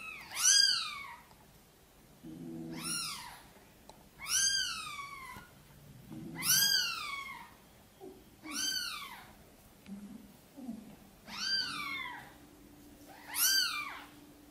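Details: Domestic cat calling indoors: mother cat Sonny, with tiny kittens to bring into the nest, asks for help. Seven sharp, high, down-curving mews, roughly every two seconds, with faint low chirrups between them.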